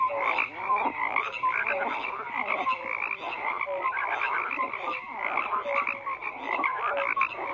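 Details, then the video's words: A continuous, busy chorus of frogs, full of rasping croaks and short clicking trills, with brief tonal notes popping out every second or so above the steady hum of many callers. "FROGS CROAKING"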